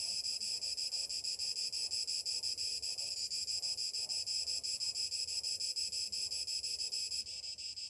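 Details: Summer cicadas singing in the morning: a loud, dense, high buzzing chorus with a steady rapid pulsing, about three pulses a second, holding without pause throughout, with a faint low rumble of wind beneath.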